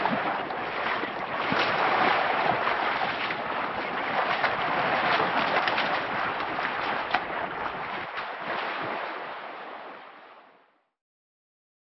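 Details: Steady broadband rushing noise, like wind or a running engine, fading out near the end with no animal calls. No animal sound stands out against the noise.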